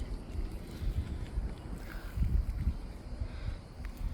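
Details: A domestic cat purrs while eating food it likes, a deep, uneven rumble that swells and fades, with some wind-like noise.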